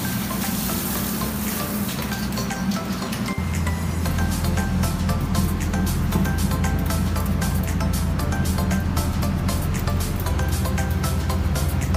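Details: Music plays over running water and a low engine-like hum, with no animal voice heard.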